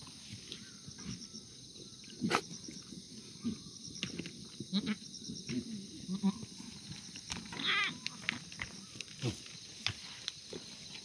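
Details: Korean black goats kept free-range without antibiotics on a farm exercise yard below Mucheoksan, Sangdong-myeon, Gimhae, South Gyeongsang, on a clear Wednesday morning in August 2019: scattered low grunting and shuffling sounds, one short wavering higher bleat midway, steady high background hiss, brief speech.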